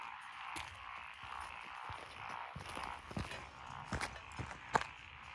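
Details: Frogs calling from lotus rice paddies beside a rural road in Echizen, Fukui, Japan, 12 June 2021, with Japanese tree frog, black-spotted pond frog, wrinkled frog, Schlegel's green tree frog and forest green tree frog listed: a steady dense chorus under sharp crunching footsteps.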